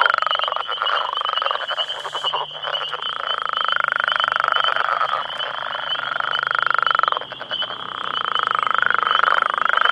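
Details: Close-up chorus of about ten male Northern Leopard Frogs calling for females, holding territory near a road: continuous rough, rattling snores several seconds long with brief pauses, a faint low hum and a steady shrill background tone.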